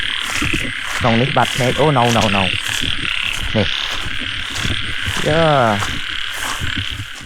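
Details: Frog chorus in rice fields in Cambodia, found while hunting frogs: clusters of rapid, sweeping croaks, one loud rising-falling run near five seconds, over constant high-pitched insect-like droning and a little nearby speech.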